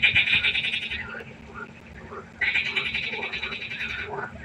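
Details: A nearby frog at a pond at night gives two loud, rattling trills, each about a second long, separated by a quieter stretch where distant croaks from other frogs carry on.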